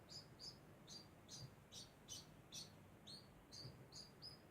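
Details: Degu making its constant sound: a run of bright, high-pitched squeaky chirps spaced roughly every third of a second, clear and evenly paced against a quiet low hum.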